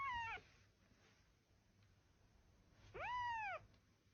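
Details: Domestic cat giving two meows, a short falling one then a longer arched meow rising and falling, separated by quiet background hiss.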